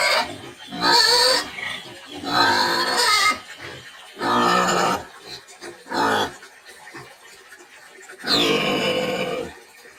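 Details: Shrill squealing screams from a rustic, precocious domestic pig of a dual-purpose meat-and-lard breed, about five harsh bursts in ten seconds with quieter grunting gaps between them.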